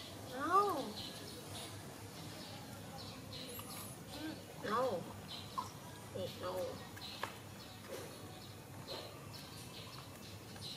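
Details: Baby monkey Donal calls to its mother while waiting for milk: several short, arched, squealing cries rising and falling in pitch, spaced a few seconds apart, over a steady background hiss with faint high chirps.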